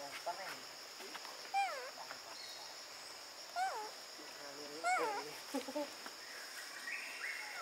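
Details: Baby monkey Brady, living with a troop in a park, screaming loudly when blocked from nursing by his exhausted mother: wavering, arched, harmonic wails in short bursts at roughly one- to two-second gaps, over steady insect hum.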